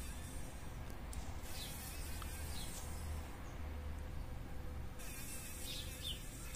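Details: Struggling fly caught in a spider's web in the corner of a workshop, buzzing in a low hum that swells in intermittent stretches against faint hiss.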